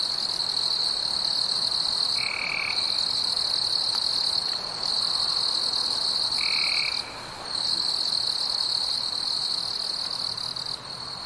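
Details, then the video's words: Forest insects at night keep up a continuous shrill drone that briefly thins out several times. Two short, lower tonal notes break through, near two and six and a half seconds. "floresta noturna com insetos"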